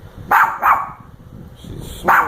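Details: Dog indoors barking at a sleeping woman who is snoring a little; three loud sharp barks, two in quick succession then one more after a short pause, with low room rumble.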